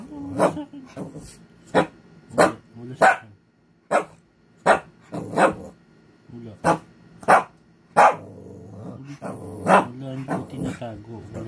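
An angry Shih Tzu lets out a string of short, sharp yaps and snarls with low growling between them.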